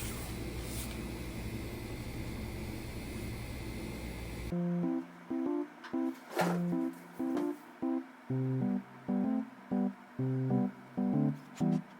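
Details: Plucked acoustic guitar music in a small room: steady noise for the first four seconds, then a regular run of picked notes, about one every two seconds, with no animal voice heard.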